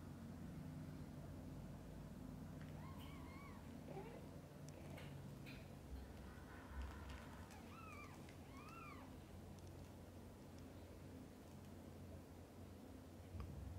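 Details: Mother cat with her kittens, from birth to their eyes opening; a few faint, thin, arching mews, one pair near three seconds and a cluster of three around eight to nine seconds, over a steady low hum.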